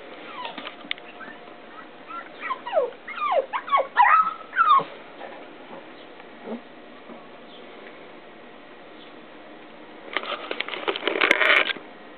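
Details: Young female beagle on her first day at home, 20 June 2009, playing with a ball: a burst of high, sliding whimpers and yips clustered over a few seconds, then quiet, then a short noisy rustling clatter near the end.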